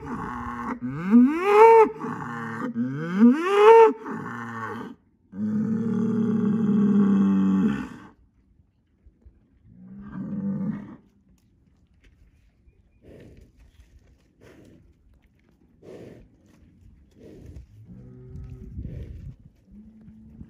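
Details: Angus bull vocal in a barnyard, telling two other bulls he is the boss; two loud sweeping bellows, a long flat groan, then fainter scattered short grunts and quiet moans.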